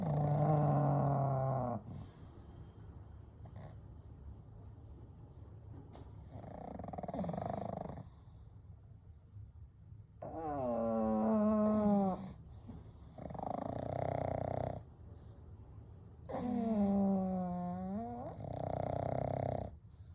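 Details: Gentle snoring and breathing from three sleeping pugs, Kou, Gen and Shun: long rumbling breaths about every three seconds, several with a wavering, whistling nasal snore on the inhale.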